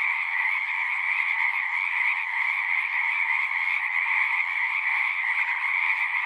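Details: Singing frogs in full chorus, a thick, rapid trilling hum with high and mid bands, steady and unbroken, individual voices lost in the massed sound.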